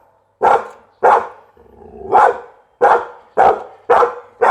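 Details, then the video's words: Pit Bull barking steadily, about seven harsh mid-pitched barks roughly every half second to second, one preceded by a short low whine-like lead-in. "เสียงหมาเห่า #หมาพิทบูล"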